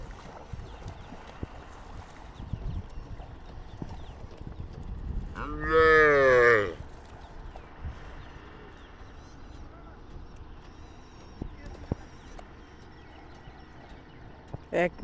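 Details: Cow mooing while being bathed: one loud, drawn-out, harmonically rich moo lasting about a second and a half midway through, then a short call at the very end, over low background noise and scattered clatter.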